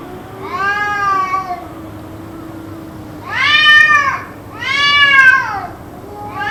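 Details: Drawn-out cat wails from an apparent fight that continued for around two hours; three strained, arching howls with bright harmonics, the last two louder and closer together, plus the start of another, over a low constant hum.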